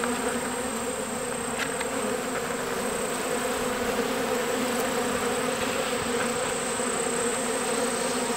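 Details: A swarm of honeybees captured last summer on a farm, still settling into their new home, gives a steady, dense buzzing hum throughout with no breaks.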